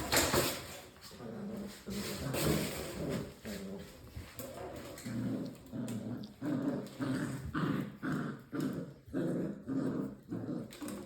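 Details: Six-week-old English Springer Spaniel puppies from one litter make low, throaty growls and whiny grumbles in repeated short bursts, roughly one every half second to second, overlapping with scuffling sounds.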